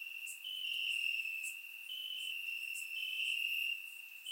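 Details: Warm summer night in Bulgaria with crickets singing in the grass, a dense high ringing trill whose pitch steps up briefly then settles, steady loudness and faint sharp ticks above.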